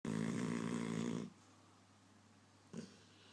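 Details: Dog named Diesel lying across a person's leg, snoring very loudly while wide awake, indoors: a long rasping, low buzzy snore for over a second, then a quiet pause and a shorter snort near the end.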